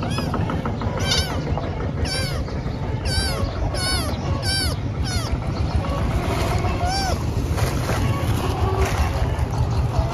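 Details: Thin kitten found crying and in need of help; about nine short, high, arched mews follow one another roughly every half second over the first five seconds, then fainter cries over a constant low rumbling background noise.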